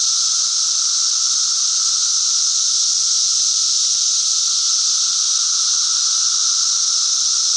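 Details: Continuous shrill cicada chorus, an even high-pitched hiss-like buzz with a fainter steady lower tone, unchanging from start to finish.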